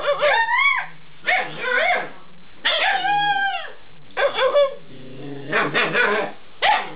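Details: Eight-week-old Alaskan Malamute puppies talking back: several long, bending howl-like whines that rise and sag, alternating with short yelping bursts and a low rumbly stretch, each lasting under a second.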